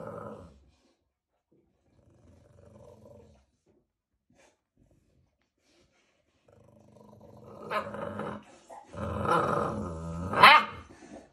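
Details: American Bully puppies, two months old, in Romania; after near silence, low rumbling growls build up, rougher and louder toward the end, with a short yelping rise at the close.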